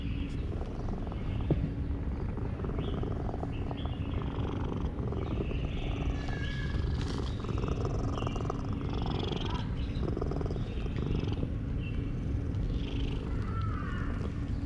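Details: Male cat purring loudly while being petted, showing his satisfaction; a steady, deep rumbling purr runs throughout, with faint chirps and light whistles in the background.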